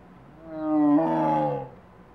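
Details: Male Amur (Siberian) tiger in a zoo in Utah, possibly calling to brothers after being separated following a rough fight; one drawn-out harmonic moaning vocalization lasting about a second, rising then holding, with little background noise.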